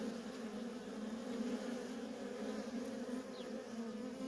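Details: Worker honey bees in nonstop traffic at a feral colony make a steady, low droning buzz with a strong hum and a higher overtone, unbroken throughout.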